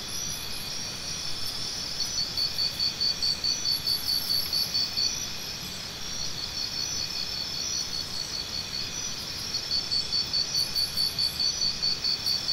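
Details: Crickets heard as tinnitus sound therapy, two bursts of rapid high chirps, about two each second, separated by a pause, set against an unbroken ringing insect chorus with occasional faint higher trills.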